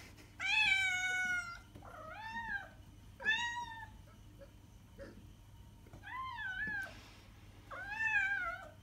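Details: Meowing domestic cat intended to attract other cats: five loud, drawn-out meows, some wavering and rising then falling, separated by short pauses, with a low steady hum underneath.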